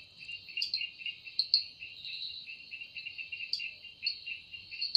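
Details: Cicada singing in a forest at evening, a continuous shrill, high-pitched ringing drone holding two steady tones, with an uneven pulsing loudness and brief brighter accents scattered through; no other clear sounds.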